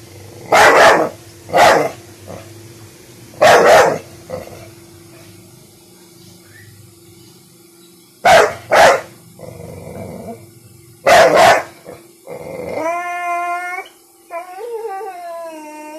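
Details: One-year-old American Bully named Bentley, frightened of a small pink umbrella, gives irregular pairs of sharp barks spaced several seconds apart, then rising, wavering whines near the end, over a constant electrical hum.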